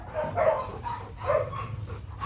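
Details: Young male Rottweiler stud dog named Nano, bred at a Vietnamese kennel: two short, harmonic barks about a second apart over a low steady hum, with faint background music.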